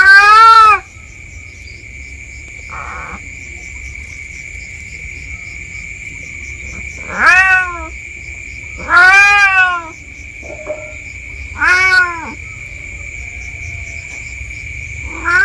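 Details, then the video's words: Free-roaming village cat exploring a wooded patch behind a home, calling with increasingly anxious-sounding meows: four to five separate falling meows spaced a few seconds apart, under a constant shrill insect-like drone. "SUARA MEONG MEONG.!! Kucing Kampung"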